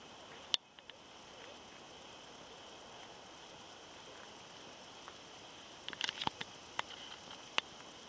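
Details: A wart-biter (Decticus verrucivorus) stridulates on a thistle seed head in 2021, with a thin, steady, high-pitched ticking buzz broken by a few sharp clicks.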